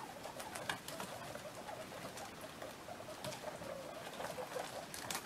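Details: Playing baby guinea pigs, sixteen of them, give brief murmuring chirps in loose clusters. The notes are mid-pitched and quiet, and a constant scuffle of movement and scattered ticks runs underneath.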